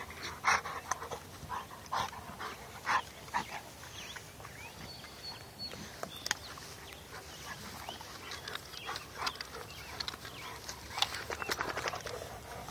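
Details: Bullmastiff x Boerboel crossbreed dog, heard panting in breathy rushes broken by brief whimpering yelps. A cluster of sharp bursts comes near the start, then softer, fizzing breaths toward the end.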